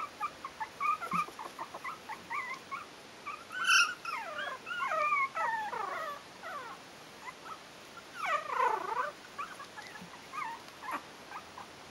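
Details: Several four-week-old Yorkshire terrier puppies at a kennel whine together, sliding high squeals and downward-falling whimpers overlapping almost continuously, with a louder cry near the middle and a sweeping wail toward the end.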